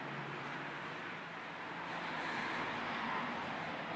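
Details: Steady hiss of road traffic passing in the distance outside a garden, with no animal calls.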